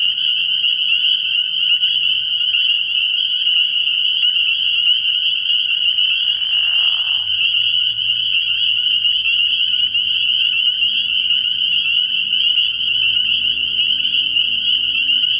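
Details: Many spring peepers at a night-time frog pond early in the year, their piercing high peeps forming a steady chorus; a short, lower rasping burst cuts in partway through.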